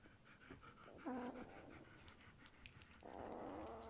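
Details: A two-week-old German Shepherd puppy from a litter gives a brief, tonal, squeaking whimper amid soft panting and rustling.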